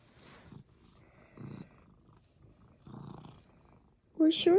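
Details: Contented domestic cat giving a soft, throbbing purr in three short bursts, followed at the end by a person's voice speaking up close.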